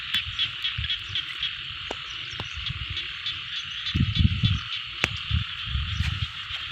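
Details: A rice-field frog chorus forms a continuous shimmering buzz of overlapping trilled calls, while low thumping and rumbling bursts come and go beneath, strongest around the middle.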